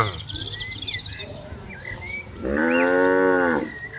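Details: Tame cattle in a herd roaming and grazing freely in a large green plantation; after soft background chirps and whistles, one long harmonic moo swells and holds for about a second before fading.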